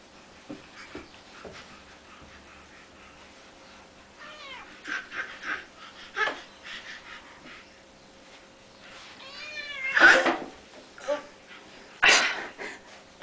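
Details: Domestic cat meowing indoors while an eight-month-old crawling baby grabs her; several drawn-out, harmonic-rich meows, some rising then falling, spaced irregularly, with two loud harsh cries near the end and soft baby sounds between.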